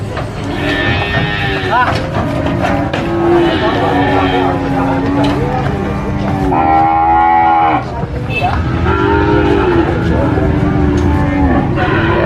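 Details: Several cattle being unloaded and sold at an animal market moo in long, drawn-out, overlapping calls over a steady background rumble.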